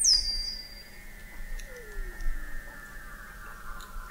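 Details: Weddell seal song under Antarctic sea ice in McMurdo Sound, November 2017, from the McMurdo Oceanographic Observatory 21 m below the ice: a brief piercing high falling note, a long slowly sinking tone, and a softer mid-pitched downward slide.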